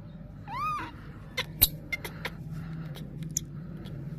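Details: Spoiled, easily angered baby monkey giving a single short, harmonic squeal that arches up and then down, followed by scattered clicks and taps over a low steady hum.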